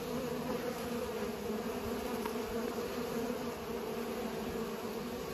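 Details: Buzzing of bees at work pollinating: an unbroken droning hum, low and level in pitch, steady in loudness across the short stretch, with no other sounds standing out.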